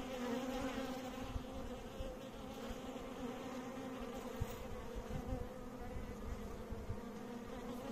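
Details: Continuous buzzing of bees, a dense, even hum with stacked harmonic tones, steady in pitch for about eight seconds, over low rumbling noise and a few soft knocks.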